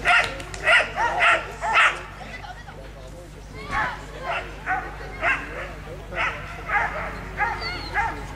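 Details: At a Belgian Shepherd Nationale d'Élevage agility run, the dog Créole barks in a quick burst of four, pauses, then resumes with shorter, softer yips about every half second, with murmuring people and a constant low hum behind.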